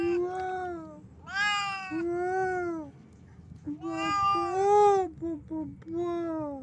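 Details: Cat holding a caught bat, meowing almost continuously in long, wavering, moaning calls that swell and fade, with short yowls between them.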